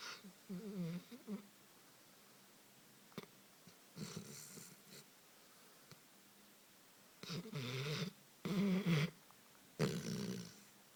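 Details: A sleeping Dogo Canario snoring: irregular rough, wheezy snorts and breaths in bursts of about half a second to a second, with quiet pauses between them, recorded indoors.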